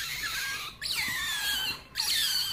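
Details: Rare white-footed, white-ringtailed baby otter squeals indoors: two long shrill whistles, each opening with a quick upward sweep and then sliding slowly down, split by a brief silence.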